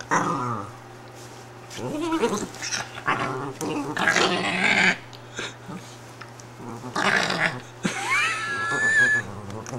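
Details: A female Italian Greyhound grumbles and whines in upset protest at being taken out of her bed, with rising, strained yelps between low growls.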